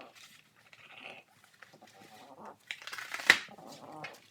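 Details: Quick time lapse of a French Bulldog puppy ripping cardboard with its mouth indoors: soft nasal snorts and grunts, then a burst of loud tearing with a sharp crack.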